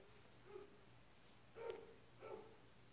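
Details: White-eared opossum from a litter at Mococa and Pitangueiras: three brief, mid-pitched tonal calls, each a short harmonic note, spaced about half a second to a second apart over a steady low hum.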